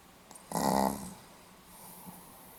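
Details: Sleeping Pomeranian recorded on 8 November 2015, giving one short snore of about half a second. The snore is a nasal, rasping snort with a clear tonal buzz. Quiet breathing and faint room hiss follow.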